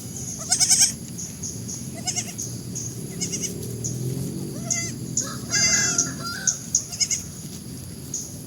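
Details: Goats giving a series of quavering, nasal bleats, each brief and shaky, about six outbursts spaced one to two seconds apart, the longest near the sixth second, over a low rural background hum.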